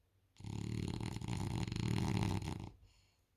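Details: Sleeping on a couch, Isla the French Bulldog lets out one long, gravelly, vibrating snore of over two seconds, swelling slightly in the middle before fading into a soft wheezy exhale.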